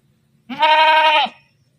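A sheep gives a single steady bleat lasting under a second, with a rich harmonic tone and a slight waver, in an otherwise quiet setting.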